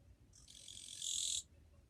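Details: Japanese katydid heard on 2 July 2023, called fairly quiet: one shrill, buzzy trill that grows louder over about a second and cuts off sharply, with a calm background.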